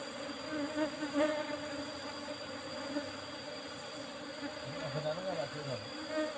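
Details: Asian honey bees (Apis cerana) humming steadily while honey is harvested from an old-style hive box covered only with a used asbestos sheet; a continuous low drone with layered tones, and a man's voice briefly near the end.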